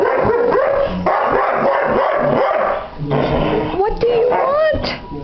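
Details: Rosie, a seven-year-old Irish Setter, on 29 January 2009, torn between playing outside and getting shoes off, gives drawn-out, rising and falling whining howls, with a person speaking in the background.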